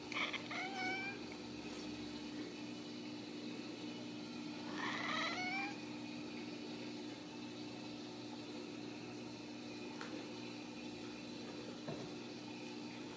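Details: Ragdoll kittens at a home cattery in central Kansas, kept without cages; a few short high mews early on, then a louder wavering meow near five seconds, followed by quiet with a constant background hum.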